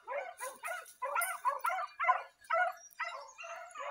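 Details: Pack of Basset Fauve de Bretagne hounds in training on wild boar in an enclosed park, 2023; rapid overlapping baying barks and yelps, roughly two per second, several dogs calling together.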